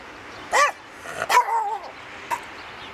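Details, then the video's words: Rescue Rat Terrier named Eddie singing to "Jingle Bells" for the holidays; a short yip, then a longer wavering, rising-and-falling howl, followed by a brief faint yelp. "Eddie my rescue Rat Terrier sings "Jingle Bells?""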